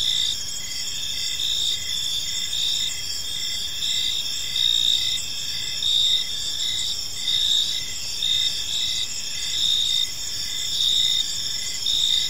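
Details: Park crickets at evening produce overlapping high-pitched chirps and steady trills, the chirps pulsing a little under once per second, with slight swells in loudness and faint distant rumble beneath.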